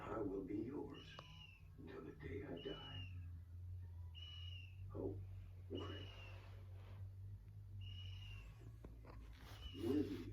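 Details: Labrador Retriever puppy named Odin asleep on a sofa, snoring: breathy, rasping breaths every one to two seconds, several closing in a thin, high whistle, over a low, steady hum.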